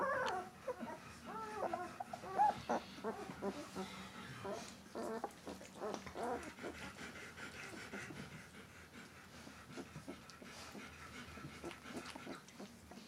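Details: Thirteen-day-old White Swiss Shepherd puppies whimpering and squeaking in short, wavering high calls during the first half, fading to quieter rustling later.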